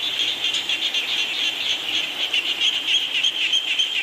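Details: Frog chorus with rain, a brief burst of quick high-pitched pulsing calls, roughly four each second, shrill and slightly wavering above a hushed background.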